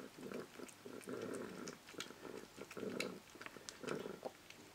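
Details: A foster cat over 20 years old, purring while she eats indoors: rhythmic rumbling bursts about every half second, alternating with pauses, mixed with clicking and chewing noises from feeding.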